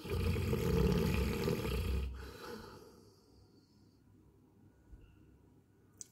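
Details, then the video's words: Coco the Labrador Retriever snoring in sleep: one rough, rumbling low snore lasting about two seconds that fades into quiet breathing, then near silence. "Coco kaise kharate marke sote"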